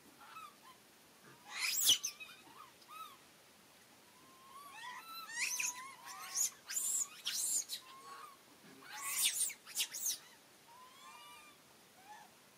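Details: Monkeys, with Rany blocking little monkey Aryan from food, give many short whistled squeaks and coos that rise and fall, broken by bursts of harsh, noisy screeching near two, six to seven and nine to ten seconds.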